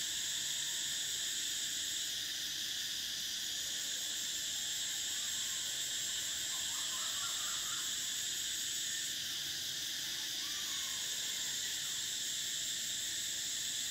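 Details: Cicadas in summer: a dense, unbroken high-pitched buzzing chorus in stacked bands, with the highest layer switching off and on again a few times, plus faint lower chirps in the background.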